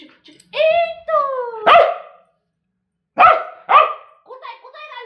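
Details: Bozo, a pet dog whose enemy is said to be a fly, gives drawn-out falling whine-like tones, then sharp broadband barks, a pause, two more barks and softer wavering sounds.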